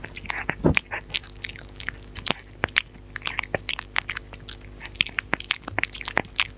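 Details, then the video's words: Close-up of a dog eating, recorded without talking: loud crunchy bites and chewing snaps come in quick irregular bursts, a heavier thud near the start, over a low steady background hum. "Dog Eating Sounds for Sleep & Relaxation: 4K Close-Up with No Talking!"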